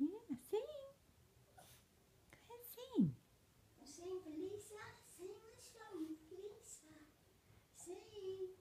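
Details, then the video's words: Female Yorkshire terrier singing indoors on her owner's urging, giving wavering, whiny howl-like tones that rise and fall in a series of drawn-out notes, with a person's voice coaxing her to sing at the start. "Yorkie singing a song"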